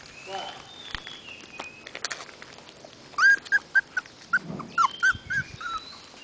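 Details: Puppies following people around, giving a quick run of short, high, whining yelps, about nine in under three seconds after a quieter start, with faint scattered background noise.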